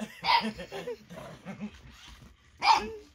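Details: Eight-week-old Boxer puppy named Baron reacting to the lights, sounds and movement of an interactive robotic toy, giving a sharp yappy bark, then softer grumbling vocal sounds, then a second high bark near the end.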